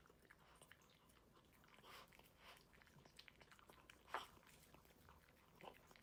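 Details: Indoor pet dog at its food bowl in an unedited eating clip, giving scattered crunchy bites and chewing, one louder sharp crunch near the middle, against a quiet room background.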